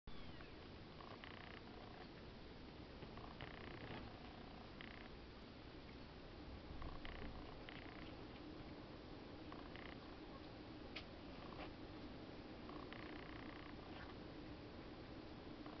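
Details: Black-and-white Exotic Shorthair male kitten purring as a low, steady continuous rumble, with faint brief higher sounds breaking in now and then.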